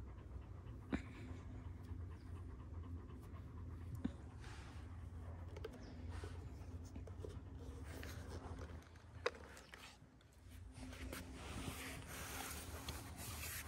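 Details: A one-year-old Kangal dog in Alanya, Antalya, Turkey, recorded on 24 September 2024, pants softly and steadily under a low background hum, with a few sharp knocks.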